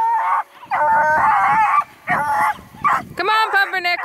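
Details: Little female Beagle named Pumpernickel barks and howls at Rusty, a coonhound who ignores her, at a hound breeder's kennel near Kingston, Ontario, Canada; repeated yappy, tonal barks in bursts with short gaps, a higher whining yip at the end.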